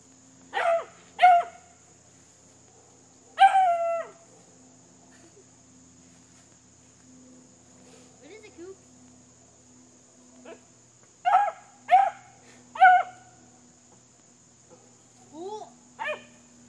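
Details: Beagle puppy Cooper, six months old, howls at a brake drum. Short, bright baying howls come in clusters of two or three, some sliding downward, with quiet gaps between. A steady high whine and a low hum run underneath throughout.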